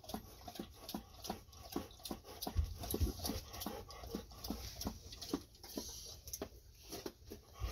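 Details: After a walk, the Golden Retrievers Ibuki and Kohaku drink a lot of water. Quick, regular lapping slurps come a little over twice a second, with a faint indoor hum behind them.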